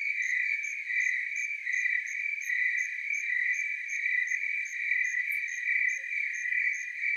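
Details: Tree crickets in chorus in the Willamette Valley, Oregon: a steady, high, ringing trill with a gently pulsing, overlapping rhythm that carries on without a break and stands alone against a quiet background.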